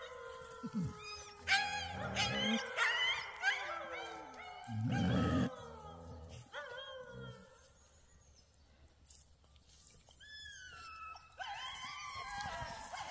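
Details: Alaskan Malamute puppies on a walk, March 21, 2024, giving rising and falling whining howls and yips, busy at first then thinning to a few long wavering calls, with some low thumps and rustling.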